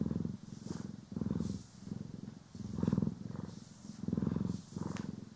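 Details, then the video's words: Domestic cats Poki and Kiwi purring while being groomed and brushed, recorded in stereo: a deep, rumbling purr pulsing in steady inhale-exhale waves, roughly one surge every second or so, with faint soft brushing noise above. "30 Min CAT ASMR | Purring, Grooming & Brushing"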